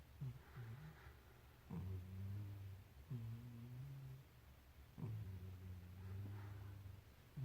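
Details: Sleeping cat snoring: low rumbling breaths in long drawn pulses, each swelling then fading, repeated roughly every one and a half seconds through a quiet room.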